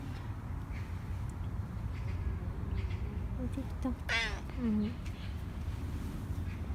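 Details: Indoor Korean shorthair cat Nacho begging for another treat; a bent, whining meow past the midpoint, followed by a short lower one, amid quiet household background and faint movement.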